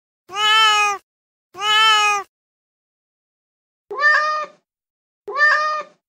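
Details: Feral mother cat calling kittens: two long, loud meows in quick succession, a pause of over a second, then two shorter, rougher meows about a second apart.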